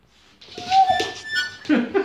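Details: A Siberian husky reacting to music, which the owners say he either protests or sings along to, gives a brief, wavering mid-pitched howl over the music in a small room.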